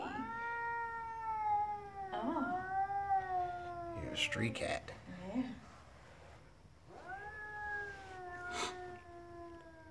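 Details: Stray cat outside, swollen-tailed and agitated: drawn-out wavering yowls, a pause filled by a man speaking and sharp knocking sounds, then another long yowl.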